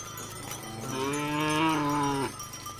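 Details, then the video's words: Cow giving a single low, drawn-out moo of about a second and a half, its voice rising slightly and holding steady before cutting off abruptly; a faint steady hum continues underneath. "The Best Cow Videos with Cow Sound"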